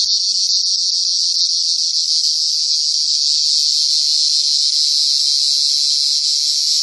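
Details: Cricket heard as it really sounds: a dense, continuous high-pitched trill, steady and unbroken for the whole stretch, with no other clear sounds.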